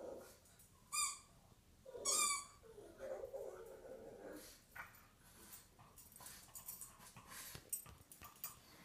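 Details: Earl the pug at home, in play mode with his favourite chicken drumstick, gives two loud, brief yowls a second apart, then a softer wavering whine, with faint indoor rustling and knocks.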